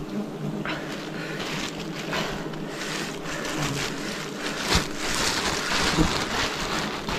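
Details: Wild bees during a forest honey harvest in 2026, a dense steady buzzing hum with low droning tones, broken by scattered clicks and rustling handling noises.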